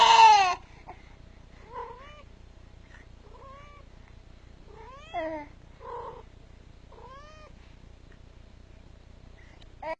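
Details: Cat near a little baby, giving soft, short meows that rise and bend, repeated every second or two, after a loud brief burst of sound at the start.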